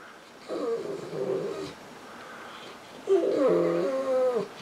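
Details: Female Saint Bernard on a couch, crying to get a person to pet her and sounding like a baby: two drawn-out, moaning whines with wavering tone, the second louder and longer, with a short pause between.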